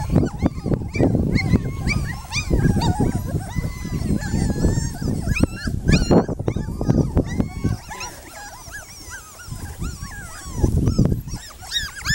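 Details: Yard play among puppies: continuous high-pitched whimpering and yipping, slurred up and down in pitch, crowded together through the first eight seconds, quieter later, over constant low thuds and tussling noises.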